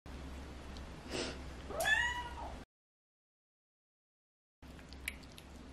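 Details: Shinbi, a young odd-eyed female Munchkin short-leg cat, meows from under the dining table begging for cabbage that another cat is eating on the table; one short rising-falling meow with a soft earlier sound, quiet room hum, then a brief break.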